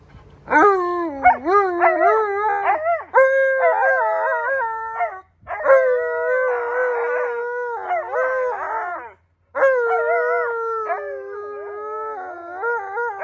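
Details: Alaskan Malamutes Tonka and Monroe howl, upset that their backyard pool has turned green with dirty water; long sustained, wavering howls around a steady mid pitch, breaking into yodel-like rises and dips in several bursts separated by short pauses.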